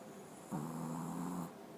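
A Pekingese gives one low, rumbling snore lasting about a second.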